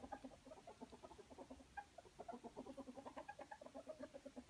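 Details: Playful ferret in a wrestling bout gives a fast, steady string of soft clucking chuckles, Muckern, mixed with brief higher squeaks, the pulses coming several times a second without pause.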